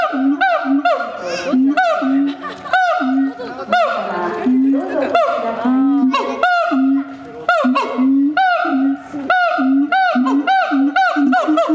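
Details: Siamang giving its melodious call: loud, clear hooting notes that swoop sharply upward, repeated in quick bursts of several notes. Steadier, lower hoots sound in between, and the calling continues without pause.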